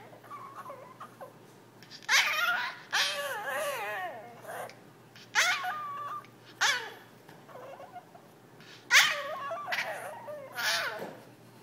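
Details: Indoors, a pet Yorkshire terrier named Jack barks while begging to play. It gives a run of shrill, yelping barks with wavering, sliding tones, in uneven bursts every second or so, with brief quiet gaps between.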